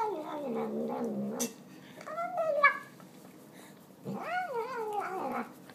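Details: Fat pet cat indoors eating a pile of tuna gives a long falling wail, then a short rising-falling meow and a drawn-out wavering meow, loud and harmonic, with pauses between calls.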